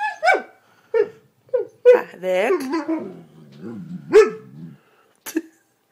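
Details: A Siberian Husky complains at not being allowed on the bed, 'talking' in short yips and a long, wavering, rising-and-falling howl-like complaint.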